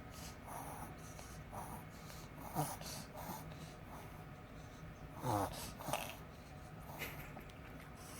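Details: Pet Pomeranian in a reverse-sneeze episode: rapid snorting, wheezy inhalations in short bursts, two louder honking gasps near the middle and a steady low hum of room noise throughout.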